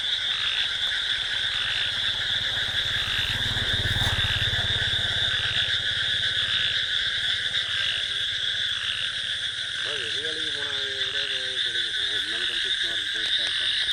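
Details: Night chorus of frogs and crickets in a paddy field, steady high insect trilling over rapid frog croaks, with a short wavering tonal call near the end.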